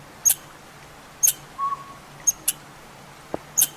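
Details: Agitated squirrel scolding from woods in a back yard, apparently upset by a northern pygmy owl nesting in an old sapsucker hole in a hollow tree nearby; sharp, high, isolated chips about once a second, a brief whistled note between them, and a man talking.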